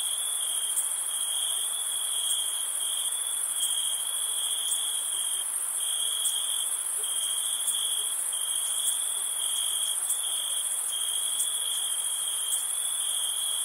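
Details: Crickets chirping on a summer night: a steady, unbroken high trill holds one pitch throughout, with a second, even shriller shimmering band above it and faint pulses every second or so. No other sounds.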